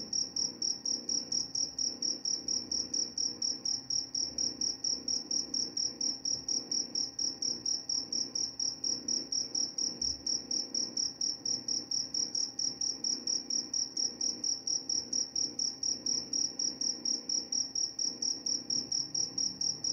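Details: Cricket chirping continuously in a shrill, high-pitched pulse, evenly repeated roughly twice each second over a quiet, faintly hissing background.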